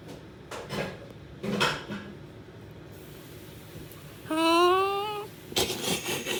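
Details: A Shiba Inu hiding under a bed gives a single drawn-out, slightly rising whine with a nasal, yodelling tone.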